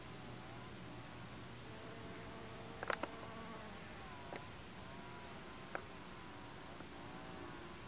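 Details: Amegilla quadrifasciata, the white-banded digger bee, visiting Salvia farinacea flowers: a low droning buzz with a bending, shifting pitch as it moves about, broken by a few sharp ticks and taps.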